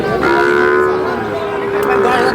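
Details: One steady, sustained bellow from a Sahiwal bull calf bought by a Comilla farmer, 21 February 2026, holding an even pitch for about two seconds amid men's voices discussing the price.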